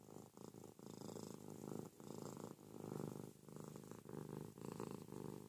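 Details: Ruby, a pet cat, purring noisily while snuggling with her owner in bed in the morning: a steady, rumbling purr that swells and fades in alternating breath phases, with brief dips roughly every second.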